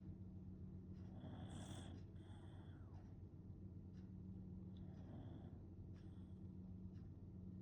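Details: Kotetsu, a Shiba Inu known for loud snoring since young, asleep; breathy, rasping snores in drawn-out bursts of about a second, with a softer one between, over a steady low indoor hum.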